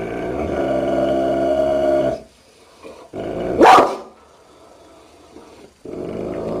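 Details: Angry dog in a funny barking and growling compilation: a long, low, rasping growl, a brief pause, then a single loud sharp bark, followed by the deep rumbling growl starting again.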